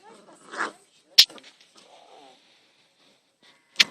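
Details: Five-week-old Labrador Retriever puppies playing in a garden: one brief, high, tonal squeal early on, then a few sharp clicking knocks and near quiet between them.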